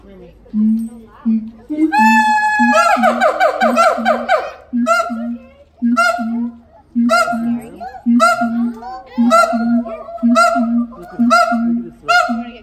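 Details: Siamang pair, father and mother, singing together at Los Angeles Zoo while their youngster occasionally interrupts: low booming notes repeated about once a second, with loud rising barks and long upward-sweeping shrieks layered over them.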